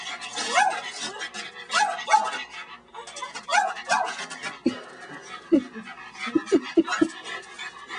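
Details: Female pet dog Tilly, fond of bugs and lizards, struggling to catch a praying mantis; rising whines in a run of bursts, then a series of short sharp barks near the end.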